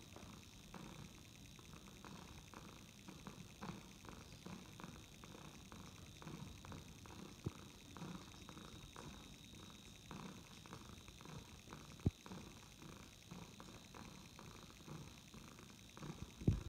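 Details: Ragdoll kittens purring, a soft low rumble pulsing steadily and evenly throughout, with a few faint clicks and taps now and then.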